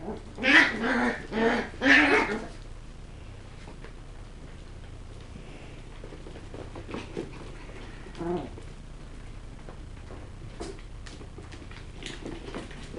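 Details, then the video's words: Kennel-raised West Highland White Terrier puppies at play: three loud shrill barks open, followed by a long stretch of soft scuffling and occasional faint yips indoors. "Puppies - Tricks and Threats - West Highland White"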